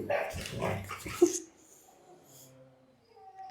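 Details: A pet dog being bathed at home makes a brief vocal sound amid a man's Telugu chatter, then faint, thin, steady whining tones drift on quietly after the talking stops.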